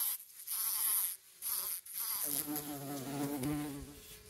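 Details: Honey bee and bumblebee squabbling over flowers in a patch of wild roses, the bumblebee pushing the honey bee out; both loaded with pollen. Broken, droning wing buzz with short gaps, a lower steady hum taking over in the second half.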